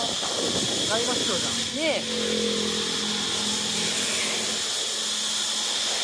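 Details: Large chorus of cicadas at a beach on Koh Samui island, Thailand: a steady, dense high-pitched hiss and drone that runs the whole time, with a person's voice briefly near the start and beach background noise.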